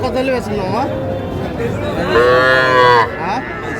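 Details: Small Sahiwal calf at a Faridpur livestock market, 17 March: one strong, nearly second-long harmonic bawl, steady in pitch and then dropping off, with softer lowing and crowd murmur before it.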